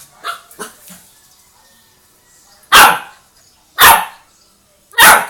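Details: Chow Chow acting as an alarm clock, giving a few soft low yips early, then three loud, harsh barks spaced about a second apart, each sudden and broad, with near silence between them.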